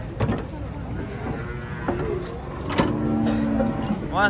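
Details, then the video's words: Giant, fierce cattle being unloaded from a truck: a short, low, steady moo with layered harmonics lasting about a second, amid men shouting directions, engine rumble and clatter. "SAPI RAKSASA UNIK TURUN DARI TRUK HARUS HATI-HATI AWAS GALAK"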